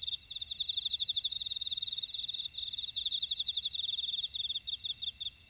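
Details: Insects calling from a buckwheat field in Ora-dong, Jeju City, South Korea: fast, bright pulse trains repeated in bursts with short gaps, layered over an unbroken high, thin whine.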